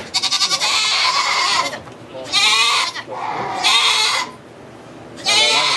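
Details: At a goat birth of two kids in a Quebec sugar shack, Canada, long, tremulous, nasal bleats come in three or four drawn-out bursts with short pauses; faint voices behind.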